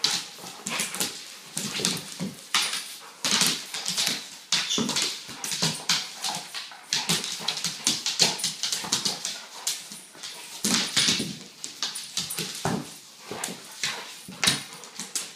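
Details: Weimaraner mother playing indoors with her 10-month-old male pup; dense rough bursts of play noise, short growly vocal sounds and scuffling, with bright scraping clatter throughout.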